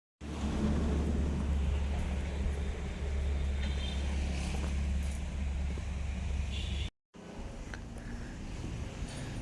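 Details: Low steady humming drone with faint background noise and a short break, with no animal call.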